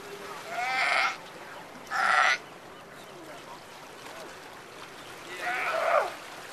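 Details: Sea lions at the Breakwater in Monterey Bay: two rough, bleating barks in quick succession, then a pause and a longer, wavering bark near the end, against a soft wash of water.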